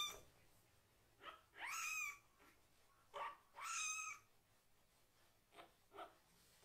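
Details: Rescued kitten protesting loudly as its rear end is washed, staying calm without struggling: two longer, bending meows among several short, fainter yelps, over a faint background hiss indoors.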